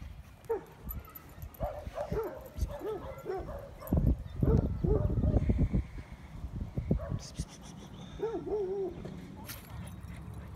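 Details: Dogs meeting at a park, among them an American Bandog, a blue brindle Cane Corso, huskies and other breeds; short arched whining yelps and barks recur among human talk, with a rustling background.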